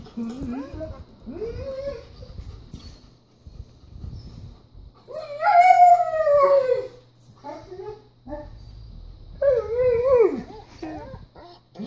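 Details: A German Shepherd, watching a video of another German Shepherd riding in a car, gives drawn-out, wavering howls that rise and fall, with a faint voice underneath.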